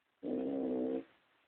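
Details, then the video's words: Toya, a pet pug, snoring: one drawn-out, buzzy, rasping breath lasting under a second, with a steady humming tone running through it, then quiet. "my pug snoring"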